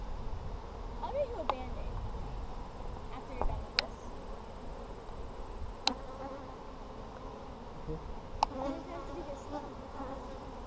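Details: Honey bees in an Apimaye hive, inspected for brood on July 23, 2020, keep up a continuous low drone, with scattered sharp clicks and a faint voice in the background.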